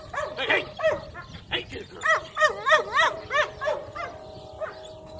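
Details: Gracie, a four-month-old female Cane Corso, during an evaluation, gives a quick run of high, yelping barks, arched and ringing, roughly three per second, fading out near the end, with a steady background tone underneath.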